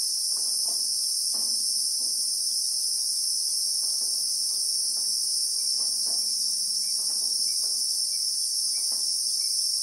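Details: Christmas beetle (Anoplognathus) chorus among acacias in the South African bush: a steady, intense high-pitched whine without pause, a few faint chirps late on and a low murmur in the background.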